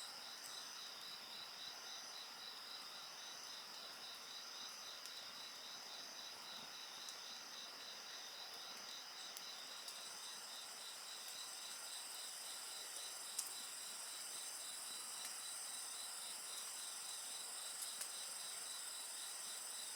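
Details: A dense chorus of insects by a bonfire: continuous shrill ringing tones and a quick beaded trill run throughout, while the fire gives scattered soft crackles and one sharper snap.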